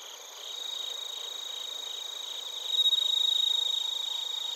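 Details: Narita, Chiba, Japan: bell crickets and field crickets recorded with a TASCAM Portacapture X8, giving continuous shrill pulsed chirping in stacked high bands, swelling in loudness past the midpoint, several insects overlapping.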